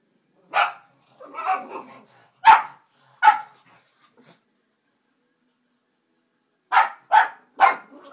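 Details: Benny and Gracie, two pet dogs, bark at a dog on television; sharp barks in two bursts separated by a four-second pause, with a rougher growly bark early on.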